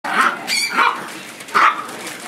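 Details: Chihuahua playing roughly with a puppy and being attacked by it: three short, sharp, high yapping barks spaced about half a second apart, with a person speaking and faint background noise.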